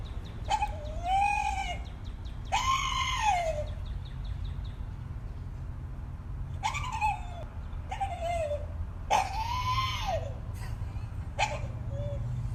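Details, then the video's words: Dog making strange noises likened to a Jurassic Park creature: six drawn-out, harmonic screams, each rising and then sliding down in an arch, lasting about a second with short pauses between, over a steady low hum. "Dog making strange noises, sounds like he's from Jurassic Park."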